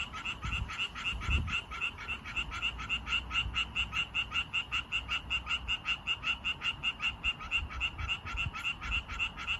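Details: Male Japanese tree frogs calling to attract females: a fast, steady series of short, bright, rasping pulses, about four each second, running on without pause over a faint low rumble in the background.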